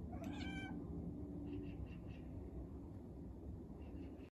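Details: Cat calling on seeing a bird, a single brief rising-falling meow at the start, followed by faint soft chirps over a constant low hum and a thin high electronic whine.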